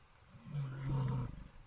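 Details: Grizzly bear roar played back: a short, deep, steady low roar of under a second, rising out of a quiet background and fading away.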